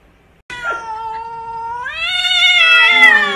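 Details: Pet cat from a funny compilation letting out a loud, drawn-out harmonic meow that holds level, then climbs in pitch and swells louder toward the end, lasting about three seconds.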